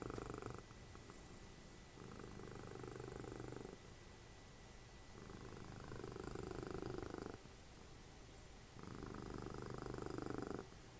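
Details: Cuddly cat Dessie, Fritjof's mother, snoring while snuggled up watching TV. Steady rumbling breaths alternate with quieter pauses, each cycle lasting roughly three to four seconds, regular and even throughout.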